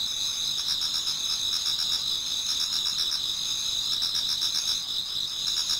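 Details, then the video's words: Autumn insect chorus in a Japanese garden before dawn, many singers at once; high steady ringing bands with beaded pulses on top, an unbroken shimmering wall of trills. "Autumn Insects voice Towards dawn"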